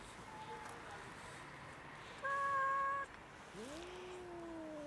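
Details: A big fluffy street cat, female, hungry and friendly, cold on a winter day, lets out a short flat meow, then a drawn-out one that swoops up and fades gradually lower.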